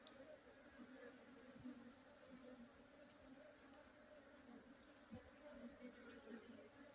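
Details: Honey bees droning steadily, a deep hum with a brighter overtone, broken by occasional soft thumps. A constant high-pitched hiss runs in the background.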